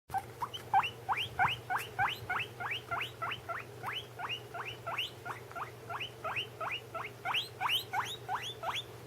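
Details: A guinea pig gives quick, rising squeals, about three each second, in a steady run, while another guinea pig eats.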